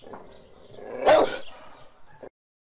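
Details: A dog lets out one short, loud bark midway through, preceded by a soft rumbling growl and followed by a faint brief yip before silence.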